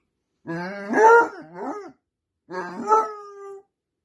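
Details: A Basset Hound howls while a companion dog is away at the vet, giving two rich, mournful howls that rise and then hold on a long drawn-out note.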